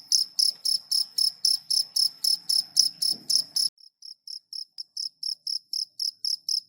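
A cricket gives bright, high-pitched chirps in a steady rhythm, roughly four pulses each second. Partway through the level drops sharply and the chirping carries on more faintly, with a low rumble briefly heard before the change.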